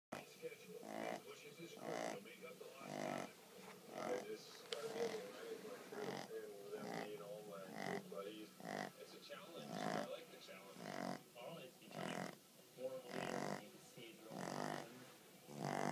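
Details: Sosa, a Boston terrier crossed with an English bulldog, snoring: rough, rasping breaths repeated roughly once a second, uneven in strength, with a low steady hum underneath.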